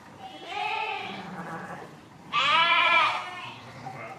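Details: A softer, muffled sheep bleat is followed by a louder, abruptly starting, wavering bleat. A low murmur sits underneath.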